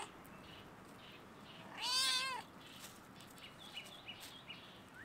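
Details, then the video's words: One loud, arched meow, about half a second long, from a stray domestic cat sitting on a fence at a campus shut by coronavirus and calling to the person nearby. Quiet, scattered bird chirps follow. "the cat meow at me on the fence"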